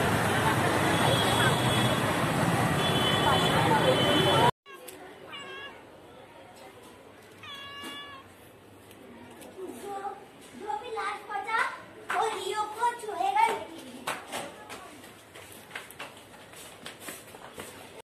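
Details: Kitten meowing while hungry, short arched meows around five and eight seconds and again near eleven to fourteen seconds, following a loud burst of broadband noise at the start, with people talking in the background.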